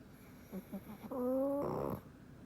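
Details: Frank, a black pug, sleeping comfortably: a few short soft snorts give way to a loud whistling nasal snore that rises slightly in pitch over half a second, then breaks into a rougher, breathier rasp before fading.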